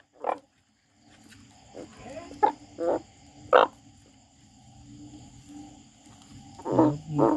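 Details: A frog crying: a handful of short, nasal, harmonic croaks spaced irregularly over several seconds, with quiet stretches and a faint steady background hum between calls.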